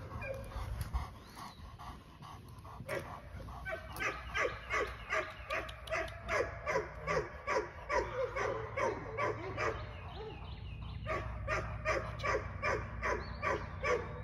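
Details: Aries, a female English Mastiff in her first training session, gives a long run of rapid, evenly spaced barks, about two or three each second, with low steady hum beneath.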